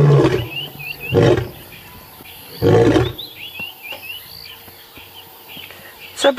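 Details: Male lion at sunrise on 15 January 2017, uttering two low grunting roars spaced about 1.5 seconds apart that fade into silence, followed by a quiet stretch filled with chirping birds.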